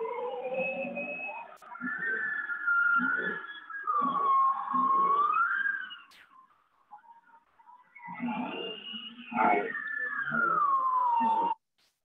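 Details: Bowhead whale song from passive acoustic monitoring in Alaskan Arctic waters: looping, wavering whistles and low throbbing pulses ("whoops and thwops"), with bearded seal trills behind.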